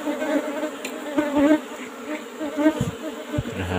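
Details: Apis cerana colony in an old-fashioned wooden box hive, disturbed while honeycomb is taken: a droning buzz that wavers in loudness, overlaid by scattered knocks and thumps from handling the combs.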